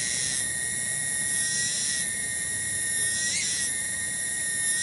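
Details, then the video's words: Tonggeret, a cicada, singing in a village garden at Kampung Bunder, Cibening, Bungursari, Indonesia: a sustained shrill tonal buzz with one brief upward swell near the end, faint background hum. "SORA TONGGERET DI KEBON"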